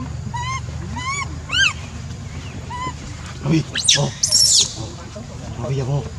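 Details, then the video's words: A monkey cries with three or four short arched whimpers, then quieter rough squeals and one loud harsh shriek, followed by a soft wavering call, against a steady low hum. "Poor Monkey’s Crying Is Heartbreaking"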